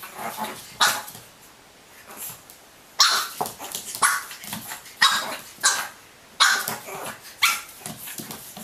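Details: Pug puppies in a funny compilation: clusters of short, sharp yapping barks, about seven loud bursts spread over the stretch, with softer scuffling and shuffling sounds in the gaps between them.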